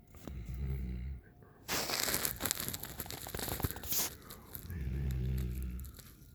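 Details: Raiden, a 9-month-old Alaskan Malamute, snores while resting on a back patio. Two low, rumbling, buzzy snores sound, one near the start and one near the end. Loud rustling and crunching noise fills the gap between them.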